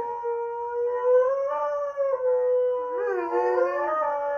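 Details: Indoors, Husky-Malamute Sasha voices displeasure as housemates Kat the Husky and Paco the Doberman play: a wavering, sung howl that rises and dips, breaks briefly near two seconds, then a lower second voice weaves beneath it.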